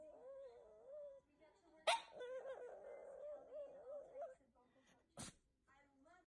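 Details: Shih Tzu puppies giving high, wavering whimpers and whines, tonal and sliding up and down, broken by two sharp clicks or knocks near two and five seconds; quieter whines trail off at the end.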